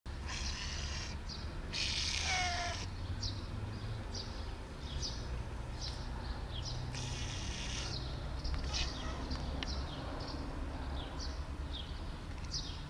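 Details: Sweet Bun, a female pet cat, meowing for a long time while her owner fails to understand her; one drawn-out, falling meow among broadband rustling bursts and many short, high clicking ticks.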